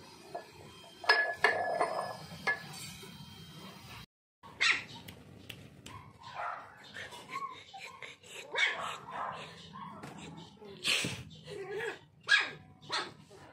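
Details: Toy Poodle puppy giving sharp, bright barks in scattered bursts, louder clusters near the start and toward the end, with a brief silent gap early on and a quiet indoor background.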